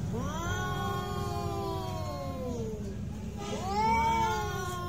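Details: Cat fight with loud, long moaning yowls: a three-second drawn cry sinking at its end, then a second howl rising sharply and holding, set against steady low background rumble.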